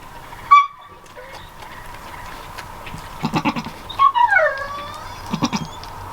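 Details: Newborn goat kids, just born to their mother on a farm. Short wavering bleats, falling in pitch, sound near the middle. Steady background hum, clattering noises and a woman speaking softly are also heard.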